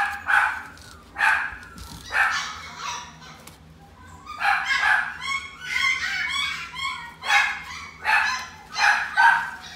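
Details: Pet-shop Chihuahua at Inu no Ie, Shippo branch, barking repeatedly in shrill yaps, roughly one per second, with a brief lull before a faster run of barks.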